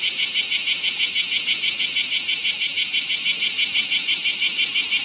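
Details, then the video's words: Bear cicada singing nonstop beside a national road in midday heat above 39°C on 7 August 2020, Japan: a loud, harsh, pulsing buzz, about three throbs per second, steady throughout. "国道脇で猛暑の中 泣き続けるクマゼミ"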